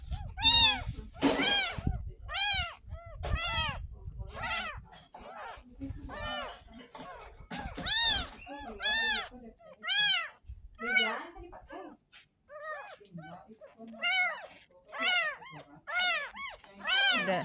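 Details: Ten-day-old kitten rescued from a street drain mews repeatedly, about once a second, in short arched high cries during and after its first bath, with splashing, brief talking and soft background music.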